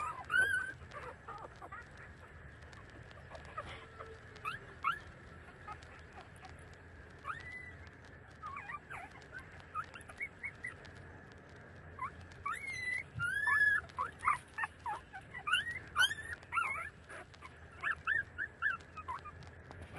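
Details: While nursing from their mother, 30-day-old puppies let out scattered thin squeals that slide up and down, then a busier burst of sharp, high squeaks before quieter cries resume.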